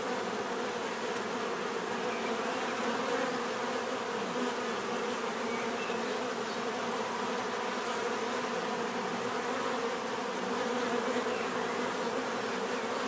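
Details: Steady hum of numerous bees, an even buzzing drone holding at the same loudness throughout, with occasional brief whines from nearby fliers.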